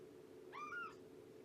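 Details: A single short, falling meow from Shelby, an estimated two-year-old rescued mother cat at Purrfect Pals, during a morning visit on 19 September 2017, quiet against a constant low electrical hum.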